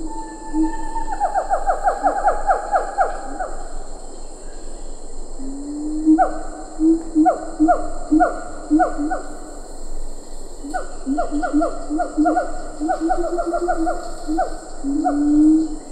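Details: In Ketambe Forest a siamang calls with lar gibbons audible further off: an accelerating cascade of falling whoops, a pause, then repeated deep booms and sharp downward barks in bursts, backed by steady insect buzzing.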